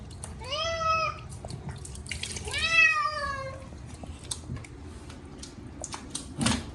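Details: Chacha the short-legged Munchkin cat cries out during his first bath in a year, two strong falling meows in quick succession, then water splashes and taps for the rest.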